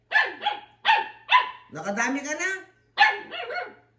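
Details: Aspin dog giving a run of short, sharp barks in quick bursts, with a longer rising whine-like stretch in the middle, while a person talks nearby in Filipino about having already given it bread.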